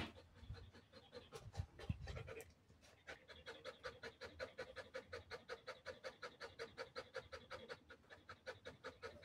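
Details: Belgian Malinois panting while taking a short break; a few seconds of handling noise, then steady rapid breaths at about 160 per minute, each a soft airy puff.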